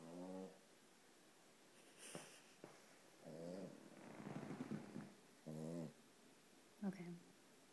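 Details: A one-year-old male Boston Terrier in a sweatshirt, asleep with one eye open, snores in rough, buzzy, rasping breaths that come every second or two.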